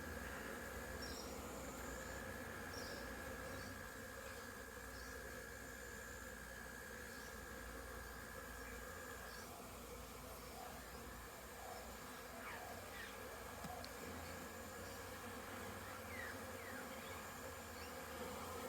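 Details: Many honey bees zipping around above a crowded hive on orientation flights, 22 September 2022, wet after rain; constant layered buzzing drone with occasional short rising whines of bees flying past.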